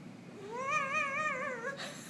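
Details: Pet Halloween kitty indoors uttering a single drawn-out meow that rises and then holds a wavering, vibrato-like tone before easing down and ending in a short breathy noise.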